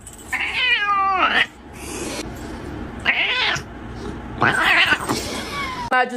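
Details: Domestic cat giving several loud, wavering meows, some long and bending downward, others short and strained, with gaps between them and people talking nearby.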